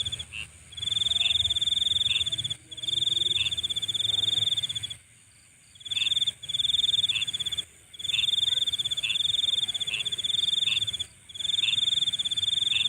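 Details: High, buzzing insect trill at night in sustained bursts of one to two seconds with short breaks, one longer silence near the middle, soft lower chirps dotted along beneath.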